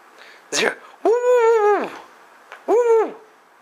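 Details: A half husky, half wolf mix gives short, steady, tuneful howls with the ball still in its mouth, pleading for it to be thrown again during fetch.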